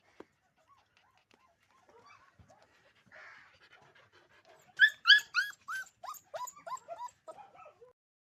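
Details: Yellow Labrador Retriever puppy giving soft scattered whimpers that build into a run of loud, high, rising yelps and whines, about three or four per second, in a quiet room.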